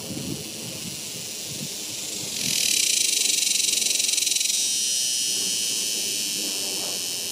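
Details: Summer cicada chorus, a steady shrill electric buzz that jumps sharply louder after two seconds, with a rapid pulsing texture, then eases slightly while holding on to the end.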